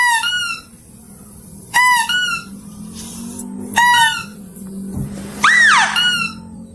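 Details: Mouse-deer lure recording, clear-voiced: paired short harmonic squeaks every couple of seconds, ending with one louder arched squeal that climbs then drops. A low hum runs throughout.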